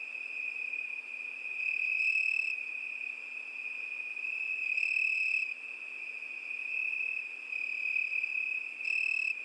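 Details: A single cricket's high, sustained trill runs without pause, steady in pitch, with short flashes of brighter overtone every few seconds.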